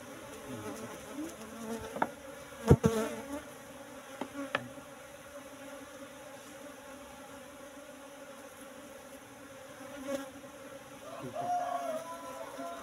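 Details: Apis cerana colony in a hive box, brought from the forest roughly three months before, humming as honeycomb is harvested; a steady low drone runs throughout, with occasional handling clicks and knocks.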